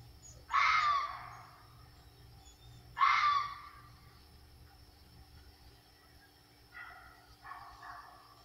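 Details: At night in South Carolina, a red fox gives two loud, harsh, raspy yells a few seconds apart, followed by fainter, broken calls.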